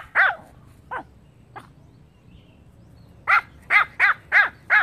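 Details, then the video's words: Pomeranian barking: three sharp, high yaps spaced about half a second apart, a pause, then a fast run of five clear, evenly spaced barks, each with a bright rising-falling tone; quiet room between barks. "POMERANIAN BARKING - POMERANIAN HOWLING AND BARKING COMPILATION 2016"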